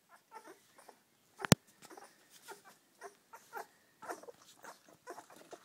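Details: Seven Springer Spaniel puppies feeding from Poppy, their mother, utter soft brief squeaks and grunts spaced irregularly, with one sharp click near the start.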